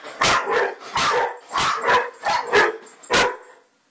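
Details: Five or six loud, sharp barks from a Bracco, some doubled into quick pairs, spaced roughly half a second apart and then trailing off into silence.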